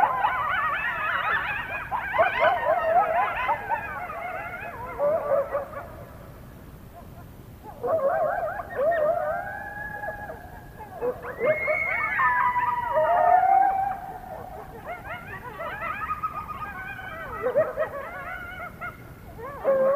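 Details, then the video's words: Coyote chorus near the North Nest, recorded around 1:22 AM on February 21, 2022; loud overlapping howls, yips and wavering glides from several coyotes, in bursts with a short lull near the middle, then rising again. "Coyote Chorus at the North Nest"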